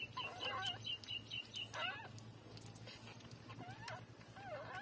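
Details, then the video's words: Tiny three-day-old puppies suckling from their mother make a fast chittering run of high squeaks, then a few sliding whimpers, with rustling and a low hum behind. "Cute-3-days-old puppy take breastfeeding"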